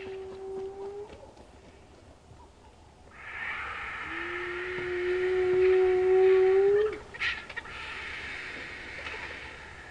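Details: A spotted hyena gives a short low hoot, then a long drawn-out whoop sliding gently upward, at sunrise in the Sabi Sand, South Africa, answering a lion coalition's roars, over a steady vehicle engine hum.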